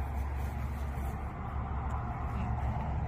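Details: Steady low engine rumble of a passing vehicle fills the recording, with faint voices and no animal sound.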